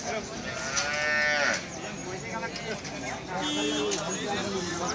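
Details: Desi cow at the Gadarwara livestock market, Madhya Pradesh, India: a short, loud moo near the one-second mark with a rich harmonic stack that rises and falls, amid steady market bustle and crowd noise.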